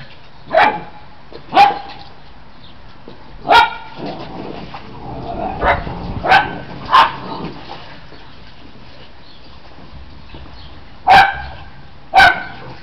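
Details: Australian Shepherd puppies at play give short, high yipping barks in irregular bursts, about eight sharp yaps spread across the stretch with quiet gaps between them, over a faint steady background hiss.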